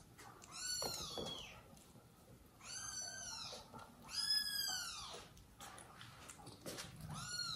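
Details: High, arched, clearly tonal mews repeat every second or two in a small indoor room, from the home of mother cat Jaco, her newborn kittens and the foster kittens she took in, kept close to them by the father cat.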